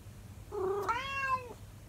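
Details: Calico domestic cat singing to its owner indoors: one meowing howl that starts low and short, jumps up, then holds a bright, slightly rising tone before sliding down at the end, over faint room hiss.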